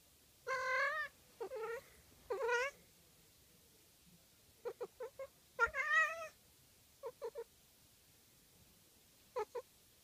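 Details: An 11-year-old female house cat from Japan who wants to hug an arm gives a series of meows: three longer wavering ones early, then short clipped chirps in pairs and a longer rising meow, with quiet gaps between.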